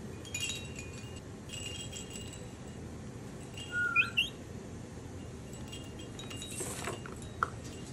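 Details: A young spider monkey, asked to whistle, gives a couple of brief, high, sliding whistles over a quiet background.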